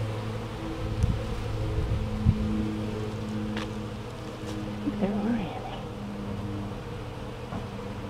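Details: Many western honey bees make a steady, low, droning hum with a rich layered tone as young bees make orientation flights at the hive on a warm, clear, calm day, 27 April 2014.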